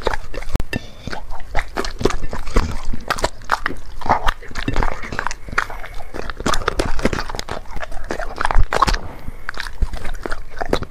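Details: Black pet dog eating chicken and vegetables from three plates, recorded close up for ASMR; steady rapid crunching and chewing clicks with wet smacking, dense and continuous for the whole stretch.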